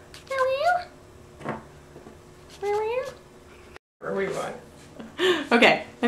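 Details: Domestic cat indoors giving two rising, harmonic meows about two seconds apart, each under a second long, followed by a short gap and then louder, rougher vocal sounds and people talking.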